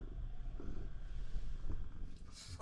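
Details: Shamue, a Siamese cat, purring very loudly to keep its owner from taking a bath; a dense, steady low rumble with fast pulsing throughout, a faint brighter noise near the end.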